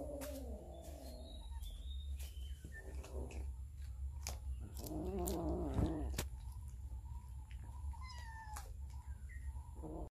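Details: Hungry cats and kittens eating raw fish, filmed with a Samsung Galaxy S9 Plus. A short wavering meow opens, then a rough growling cry midway, with repeated clicks and bird chirps throughout.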